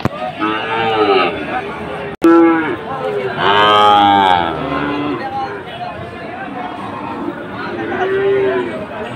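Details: Sahiwal bull cattle at the Ambari cattle market on Monday, 24 July, where traders from Chittagong are buying: several overlapping harmonic moos, one loud rising-falling low near four seconds, over steady crowd noise with a brief dropout just after two seconds.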